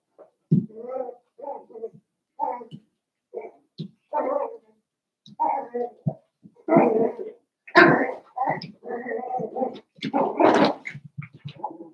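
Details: Indoor pen of seven-week-old Cavalier King Charles Spaniel puppies, Daisy's litter, in the middle of a home; a run of short whimpers and yips roughly every half second, growing louder and denser toward the end.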